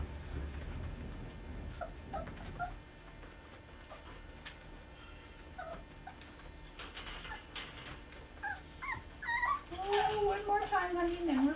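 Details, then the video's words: Eleven-week-old Border Terrier puppy named Busy during a clicker-training session indoors, after eating; scattered clicks and soft rustling give way to a high, tonal whine that rises, then slides downward over the last two seconds. "Border Terrier Clicker Puppy"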